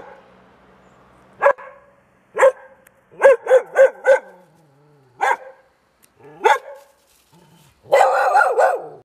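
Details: Dogs barking at Bușteni, Romania, recorded 13 October 2021: scattered sharp barks, a rapid burst of four in a row, then single barks and a final longer, harsher rough bark.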